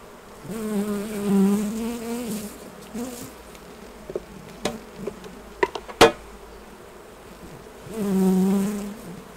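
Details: Honey bees around the hives during a honey harvest: a steady low buzz with wavering overtones swells for about two seconds, fades amid sharp clattering knocks of equipment, then a second loud buzz passes near the end.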